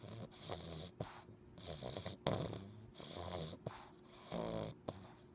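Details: English bulldog puppy named Chunck snoring while asleep: rasping, throaty breaths in long rumbling bursts of about a second, separated by short pauses, with a few sharper snorts.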